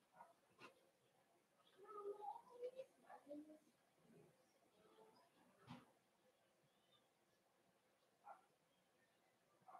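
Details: Cavalier King Charles Spaniel puppies in a home puppy pen, meeting several of the breeder's bigger dogs during a socialization session: short tonal whimpers and yips cluster between two and four seconds, with human speech and soft thumps around them.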